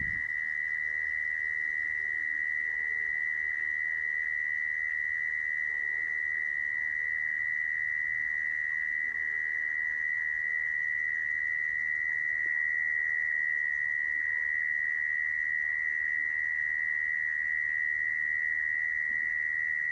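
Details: Lure recording of a mole cricket for trapping: a long, level, high-pitched buzzing trill running without pause, faint murmuring noise low in the background.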